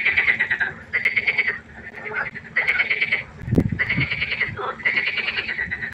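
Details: Frogs croaking at night by a pond: loud pulsed rattling calls about half a second to a second long, repeated in bursts with short gaps, over a faint steady hum and one low thud.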